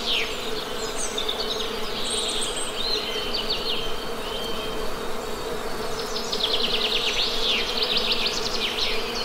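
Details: ['Honey bees drone with an even, low, harmonic buzz for the whole stretch, while birds sing above in clustered high chirps and fast repeated notes, strongest toward the end.']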